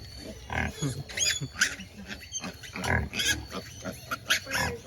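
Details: Free-range native black pigs in Albay grunt and squeal in rough bursts about once a second, some bursts carrying thin, high squealing tones, with human voices mixed in.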